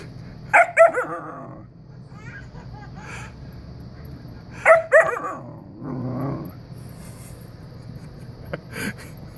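A Siberian Husky puppy gives short bursts of wavering, whiny yips in frustration that another dog won't play.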